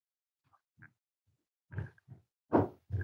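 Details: Almost 8-week-old Cavalier King Charles Spaniel puppies indoors giving low, rough grunts and growly huffs in uneven bursts, growing louder toward the end, with a brief higher squeak mixed in.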